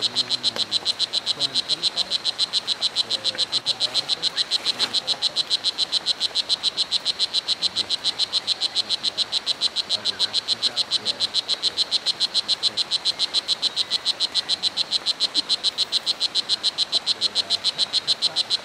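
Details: Strawberry poison dart frog (O. pumilio) at Hitoy Cerere Biological Reserve, Costa Rica: a steady, high-pitched train of rapid chirping pulses, about three or four per second, continuing unbroken throughout over a quiet forest background.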